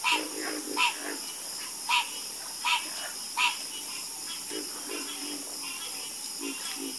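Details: Croaking frogs in chorus, five loud, bright croaks spaced under a second apart in the first half, then only quieter, lower croaks scattered over a steady hiss.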